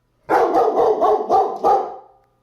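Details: German Shepherd reacting to a UPS delivery driver, giving a fast run of about five loud, harsh barks over two seconds, with a man's voice just before and after.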